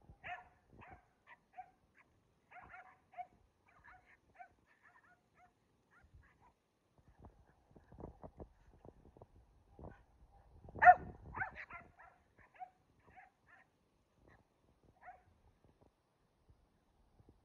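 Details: Kumo the Keeshond and Sully the Boston Terrier playing tug and jousting: soft intermittent growly grumbles and short whines, a burst of louder play noise near the middle, with quiet gaps between.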